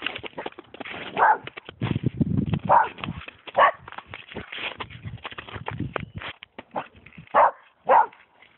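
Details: Springer Spaniel barking at a snowman, giving five loud, separate barks spaced one to four seconds apart, with softer huffs and rustling in the gaps.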